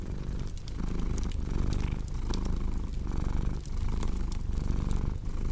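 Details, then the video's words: Domestic cat purring steadily in a low, rumbling drone that swells and dips with each breath about once per second, over a cozy fireplace crackling with sharp pops and snaps. "Purring Cat with Cozy Crackling Fireplace Sound"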